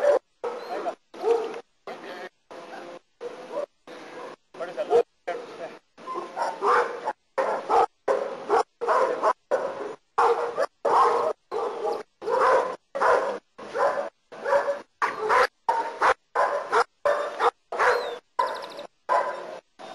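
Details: German Shepherd doing protection work in Costa Rica barks repeatedly in rapid, loud, harsh bursts, roughly one and a half per second, sustained without pause throughout.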